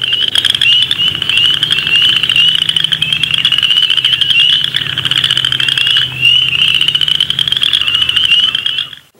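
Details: Upland chorus frogs call in spring from open marshes or wetlands. A few rising, pulsed creeks sound like a thumbnail run along a comb's teeth, fewer and quieter than spring peepers.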